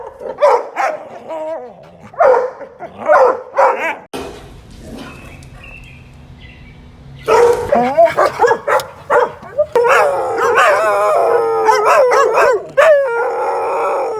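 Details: Dogs in a compilation of odd sounds: bursts of short yippy barks and wavering, talk-like whining howls, with a quieter gap of low rumbling noise midway.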